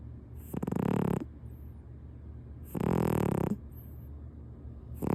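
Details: ["Domestic cat snoring loudly while asleep on a man's lap over a kotatsu quilt; rough, rasping breaths about 0.6 seconds long, repeated roughly every two seconds, with quiet pauses between."]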